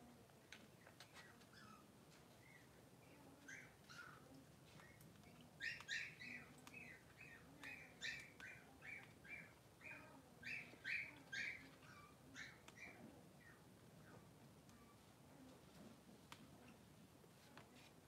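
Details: Three-day-old Blenheim Cavalier King Charles Spaniel puppies, two newborn boys with their mother Pom-Pom in a puppy pen, give rapid high squeaky chirps in clustered bursts over a low steady background hum.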